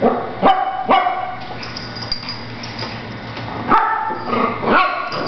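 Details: Two Shih Tzu puppies, Cupcake and Monkey, play fighting and giving each other a hard time; sharp, high yapping barks in pairs near the start and a quick burst of three toward the end, quieter scuffling between.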